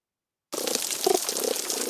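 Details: A sergeant major fish, recorded by hydrophone on a coral reef, gives short, low purring pulses over the steady crackle of snapping shrimp.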